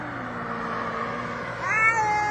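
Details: One of two arguing brother cats lets out a sharp meow that rises abruptly near the end, over a constant low hum and background noise.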